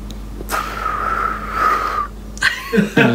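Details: English Bulldog named Lincoln whistling through his sleep: one steady, high whistled tone held for about a second and a half, then brief rustling and soft voice-like sounds indoors.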